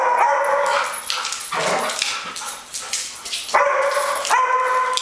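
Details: Two Airedale Terriers at play, one picking on the other: high whining yelps with clear tonal bands alternate with rough, noisy snarling bursts in a rapid, irregular stream, loud throughout.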